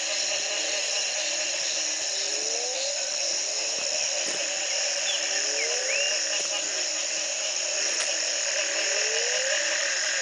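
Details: Frog chorus in Belize at the Community Baboon Sanctuary, morning after the first night of rain following a three-month drought, 2010: a steady high trilling wall of sound, with low upward-sliding calls repeating about every one to two seconds.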